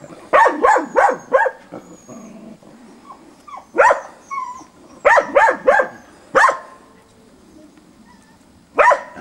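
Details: Safir, a dog, barks at a wild boar on 29 December 2017, brisk but wary. An opening run of four quick barks gives way to scattered single and paired barks with quiet gaps.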